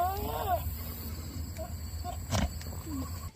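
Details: Buck goat on a farm during the autumn breeding season, calling to does in heat: a short wavering bleat that drops in pitch at the start, followed by quieter scattered sounds and a sharp knock.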